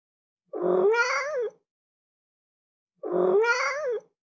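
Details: Pair of cat meows roughly 2.5 seconds apart, each a clear, tonal, complaining cry about one second long, rising in pitch before trailing down, with silence around them.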